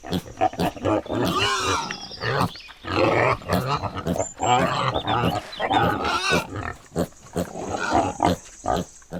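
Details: Pig grunting from a farm animal compilation: rough, low, throaty grunts in quick uneven bursts, repeated throughout with short pauses, some rising squeaky notes, no other clear sounds.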